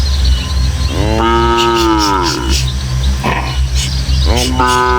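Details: Village cattle moving in a herd of dozens along countryside paths toward the pen: one full, sliding moo, then a second starting near the end, over a low steady hum with faint chirps.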